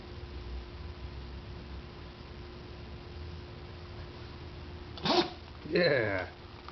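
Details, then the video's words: Pug sneezing indoors after the space between his face and nose is rubbed: a sudden sharp burst of breathy noise, then a second longer voiced snort right after, above a quiet room hum. "pug sneezes by touching his nose"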